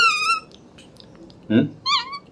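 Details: A baby monkey gives high, thin, clear-toned squeaks while eating; a man briefly murmurs between them.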